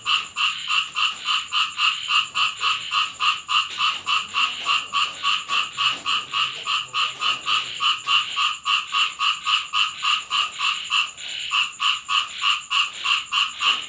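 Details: Night-time frog chorus during rainfall at a house in Thailand, fast rhythmic croaking pulses repeated roughly three times a second without pause, many callers overlapping, over a soft background hiss of rain.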